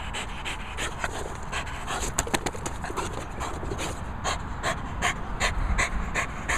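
A French Bulldog pants rapidly, with quick, raspy, snorting breaths repeated about two or three times a second.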